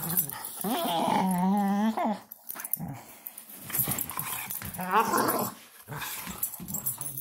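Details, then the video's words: Playful wrestling by a female German Shorthaired Pointer, giving a drawn-out whining moan with a rising tone, followed by lower rough growls and muffled scuffling. "Funny dog wrestling."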